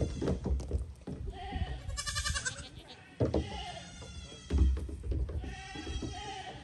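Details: Curious goats on a small boat give several quavering, tonal bleats in quick succession, set against low thumps and rumble from their hooves striking the dinghy.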